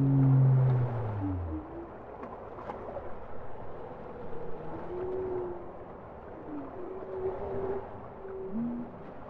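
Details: Bowhead whale song opens with a loud, deep harmonic moan that fades, followed by a series of softer mid-pitched tones and rising upsweeps against a constant low underwater hiss.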